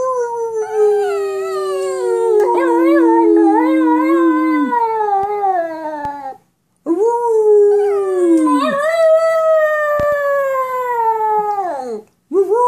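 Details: Dog talking back to its owner with long, wavering howl-like whines, two extended phrases of several seconds each that bend up and down in pitch, separated by a short silence, then a brief final yelp.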